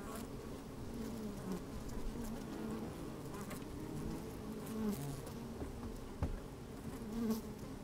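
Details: Honey bees at work in a hive opened on a sunny day, microphone placed down among them: a thick, even drone with occasional brief louder buzzes and soft ticks, some wind audible.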